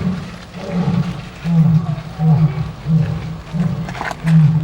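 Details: Tiger at İzmir Doğal Yaşam Parkı, Turkey, giving a deep, throaty roar as a series of low pulses repeated roughly every half second to second, rising and falling in loudness across nearly five seconds, with faint background noise.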